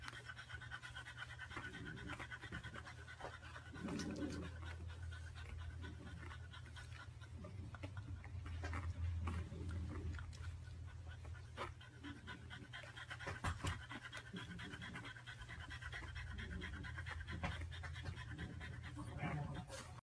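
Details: Long stretch of a dog panting at about three breaths per second, rough and airy, pulsing steadily over a continuous low hum with occasional clicks.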